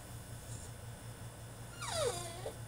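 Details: Caged male French Bulldog in the middle of a tantrum lets out a single loud whine that slides sharply downward and then levels off, after a quiet stretch with a steady background hum.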